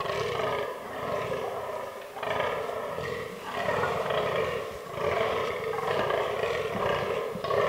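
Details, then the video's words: Rutting fallow bucks calling in an autumn forest, where the herd holds albino and black animals; a run of gruff, rasping groans, about one every second, rough and loud, some slightly longer than others. "Fallow Deer Rut 2022"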